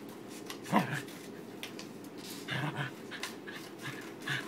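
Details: A freshly groomed corgi playing tug-of-war with his new rope bone gives one sharp, tonal yip, then a run of rough, breathy growls and snorts.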